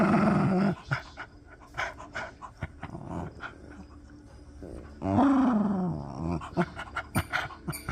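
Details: Miniature Pinscher dog making noises while playing: a low, harmonic growling grumble opens, then scattered soft clicks and thumps, then a louder rising-and-falling growl-whine, and finally short sharp bursts.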